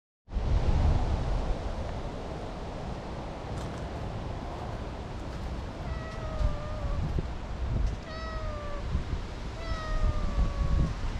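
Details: Tortoiseshell cat that had been napping in a tree, fawning with vigorous rubbing; three drawn-out, slightly falling meows at about two-second intervals in the second half, over a steady low rumble of outdoor background noise.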